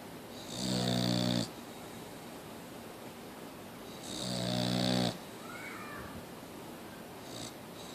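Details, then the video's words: Boxer dog snoring indoors: two long, harsh rasping breaths with a hissy edge, about three and a half seconds apart, separated by quiet room tone. "Boxer Dog still Snoring!"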